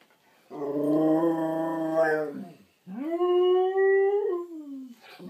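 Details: Two Husky/German Shepherd mix brothers howling a greeting: two long sustained howls, the first steady, the second rising then sliding down at the end, with rich harmonics and a short gap between.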